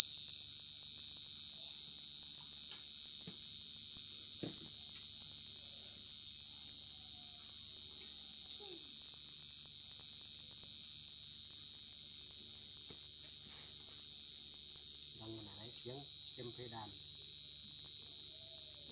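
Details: Cricket calling without pause: a loud, even, high-pitched ringing trill holding one pitch for the entire stretch, with a few soft clicks and faint low sounds near the end.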